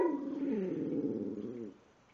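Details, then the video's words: A talkative female dog named Precious, recorded indoors on 5/6/2011, gives a sustained, gently quavering groan that slowly drops in pitch and fades out after about one and a half seconds. "Precious sings and talks!"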